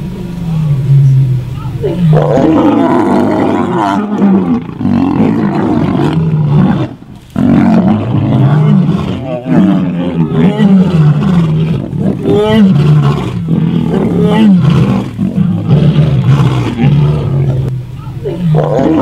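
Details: Lions roaring at night in the Central Kalahari, Botswana, near Haina Kalahari Lodge: deep, rumbling roars, low and heavy, with human voices faintly in the background.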